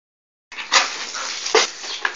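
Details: An English Bull Terrier gives a run of breathy, rasping snorts with a few sharper bursts.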